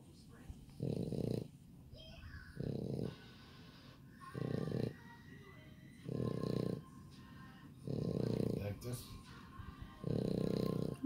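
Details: French Bulldog puppies breathing noisily in low, rasping snore-like pulses, about one every two seconds, steady and even, with faint voices and clicks in the background.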